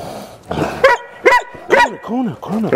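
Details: Newfoundland dog giving a series of arched, moaning whine-like calls, each rising then falling in pitch, about five in under three seconds, with harmonic overtones and a faint rough bark-like onset.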